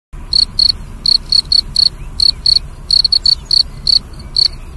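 A cricket chirps in short, bright pulses, repeated several times each second.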